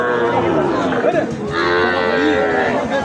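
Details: Sahiwal bull calves for sale at Ambari haat, a market held on Fridays and Mondays. A drawn-out, low, moaning moo with swooping, wavering tones, over constant crowd chatter and a man talking nearby.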